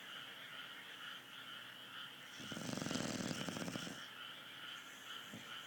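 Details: A dog snoring with one long, raspy, fluttering inhalation of about one and a half seconds, set against a constant background hum.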